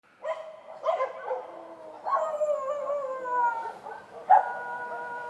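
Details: Street dogs at night: several dogs give abrupt bark onsets that stretch into drawn-out, wavering howls, with voices overlapping and layered at different pitches. A fresh sharp cry comes near the end against a quiet background.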